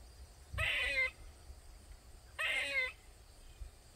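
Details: A squirrel in a Maryland backyard gives loud, harsh, nasal calls, each about half a second long and repeated every two seconds; it kept crying for over 20 minutes.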